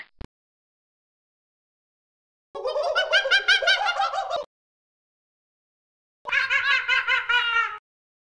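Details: Monkey. Two bursts of chattering calls come from a monkey, each lasting one to two seconds. The notes are rich, pulsed and quickly repeated, giving a giggling, laugh-like quality, with silence between the bursts.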